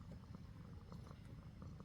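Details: Relaxed male pet cat purring while getting a gentle massage after lunch, a steady low rumbling throb that pulses quickly and evenly without pause throughout.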